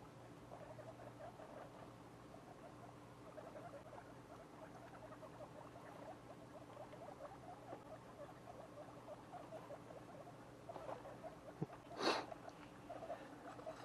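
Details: Two-week-old guinea pig babies give a steady stream of soft, short squeaks in quick succession, with one sharp, loud rustle near the end.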